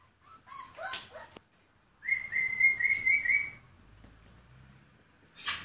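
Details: A few soft, broken whimpers come from purebred Rhodesian Ridgeback puppies born 14 February 2016. One long, high, wavering whine lasting about a second and a half follows, then a short burst of noise.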